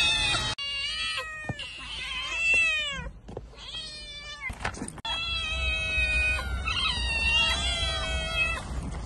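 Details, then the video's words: Cat meowing insistently: strained, wailing meows with falling tails, broken by a couple of sharp clicks and short silences, then a long sustained wavering cry. "Gerçek Kedi Sesi"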